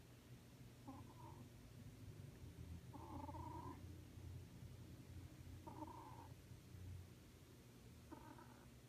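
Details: Sleeping cat snoring softly: a steady low rumble with a breathy, nasal burst on each breath, roughly every two and a half seconds, in a quiet room.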